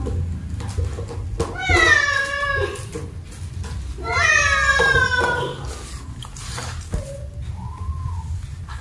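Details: Kittens playing and wanting to eat indoors; two long, strained, harmonic-rich meows, each about a second, then a short high chirp and a soft rising-falling mew, over a low hum with a person talking.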